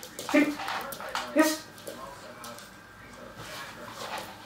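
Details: Young Weimaraner in an early obedience lesson lets out a pair of sharp, squeaky yelps about a second apart, followed by soft human speech and quiet shuffling.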